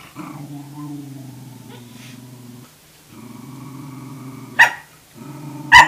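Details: Wave, a Tamaskan puppy, tries to establish dominance over a Norwegian Elkhound's food: two long, low, rumbling growls, each broken off near the end by a sharp, loud bark.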